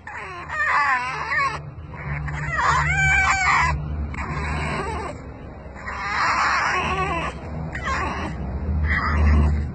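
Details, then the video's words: Rescued fox squealing while being petted: a run of harsh, wavering, high-pitched squeals in about five bursts over ten seconds, with brief pauses between them and a low steady hum underneath. "Rescue Fox Squeals while Getting Petted"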